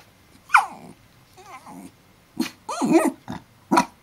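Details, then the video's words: Pet dog, filmed while howling like a wolf, gives a mix of short yelps, wavering whines and rough growling bursts in about five separate outbursts across four seconds, in a quiet room. "howling like a wolf"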